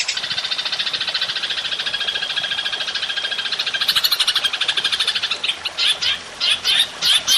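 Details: Belalang emas, the golden grasshopper, sounding as master audio for songbird training: steady shrill pulsed buzz at a fast even rate, turning after about five seconds into short spaced bursts of ticks.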